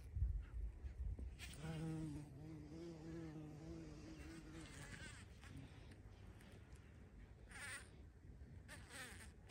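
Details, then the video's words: Bumblebee at a feeding place, recorded 14 June 2023: a low, steady, droning hum with rich overtones holds for about three and a half seconds, then fades. Brief bursts of higher, chirpy sound and low rustling noise follow. "Полёт шмеля или Шмелиная столовая"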